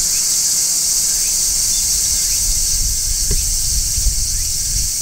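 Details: Continuous shrill sizzle from a large brown cicada perched on a tree in midsummer, constant in loudness, with a soft low rumble and a brief faint chirp.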